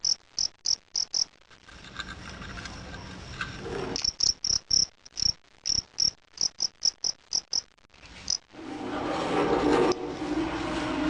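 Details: Fighting cricket kept for contests, sound test: bursts of high, sharp chirps at a steady pace, broken by a quieter stretch and ending in loud broadband noise.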